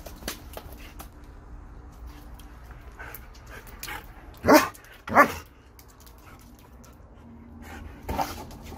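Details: During water play, a German Shepherd lets out two quick barks about half a second apart, then one more bark a few seconds later, with soft background noise in between.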